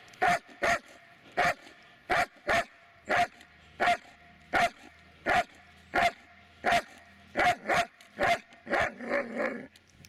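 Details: Barking from the Dobermann Magmar Von Der Burgstätte: a steady run of about fifteen loud clipped barks, single or doubled, speeding up and turning rougher and more drawn-out near the end.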